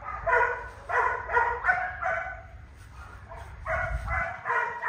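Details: Young male goldendoodle puppy yipping and barking in quick, high-pitched bursts, roughly eight calls, with a short lull near the middle before the yips resume; soft low rumble underneath.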